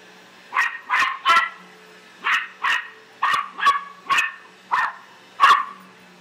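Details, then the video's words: Australian silky terrier kept as a pet, barking like mad at the household vacuum: about ten shrill, sharp yaps in quick clusters of two or three, over a low steady machine hum. "Silky Terrier barks at Vacuum"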